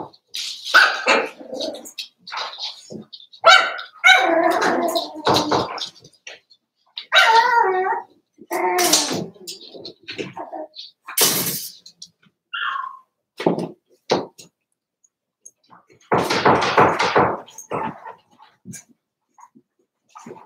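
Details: Daisy's four-week-old Cavalier King Charles Spaniel puppies in the pen, an irregular jumble of yips, whimpers and small barks, some wavering and drawn out, with pauses and a few broader noisy bursts.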